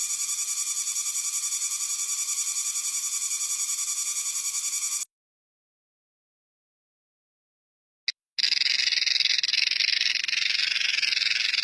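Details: Cicadas, one of several types shown with their loud sounds: a dense, steady, high buzzing drone with fast pulsing, cut off by a silent gap of about three seconds, then another loud, harsher buzz.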